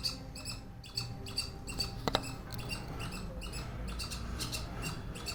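A squirrel chatters in a fast run of sharp, squeaky chips over a low background rumble.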